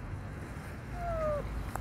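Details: Palm-sized lost kitten crying from under a parked car before its rescue; a single thin, falling meow lasting about half a second, faint against low traffic-like rumble.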